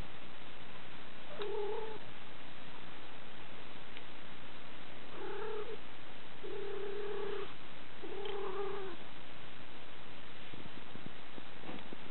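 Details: A girl's cat, caressed until completely relaxed, keeps up a deep continuous purr for twelve seconds, broken by several brief tonal notes, mostly in a cluster midway through.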